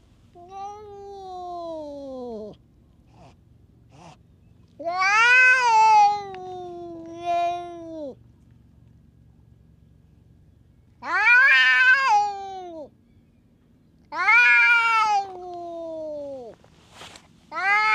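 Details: Stray tough cat lashing out at other cats: long drawn wailing yowls with strong harmonics, several separate howls rising and falling, with quiet gaps between them.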